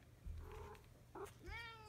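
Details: A cat makes a few short, soft sounds, then a clear drawn-out meow with a bending pitch near the end. A person's voice is heard just before.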